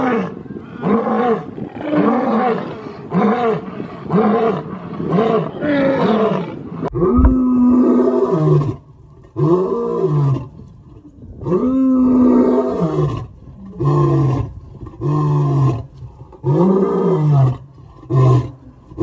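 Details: Lions kept in zoos roaring: a run of deep, throaty roars swelling and falling, then a slower series of shorter, hoarse grunting roars separated by brief pauses, with no other clear sounds.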